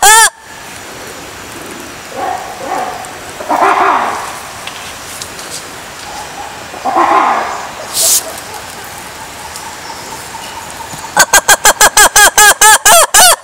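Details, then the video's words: Lemurs calling: scattered soft, hoarse calls over a quiet hiss at first, then a rapid run of loud, harmonic, arching yelps about five per second near the end. "Lemurs sounds"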